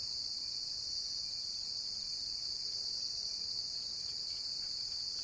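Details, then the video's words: A cricket's sustained high, hissing buzz runs without pause, its pitch and volume unchanging, nothing else prominent. "Real cricket chirping sound"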